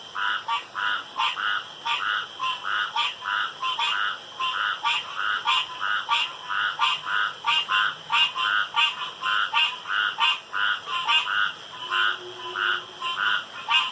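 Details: Dense night chorus of frogs around a pond: evenly pulsing croaks, roughly one and a half per second, overlapping from several callers, with a steady high hum underneath.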